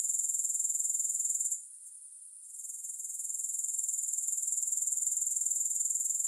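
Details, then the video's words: High shrill pulsing of grasshoppers, with no music. It breaks off for about a second, then fades back in and settles into a regular trill near four pulses per second. "Grass Hopper Sounds"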